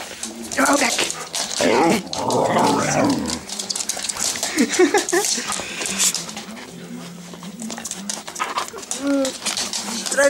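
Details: Huskies greeting their returning owner after a week away; a burst of warbling, yodel-like vocalising, then softer whimpers and short whines, with household bumps and a Dutch-speaking voice.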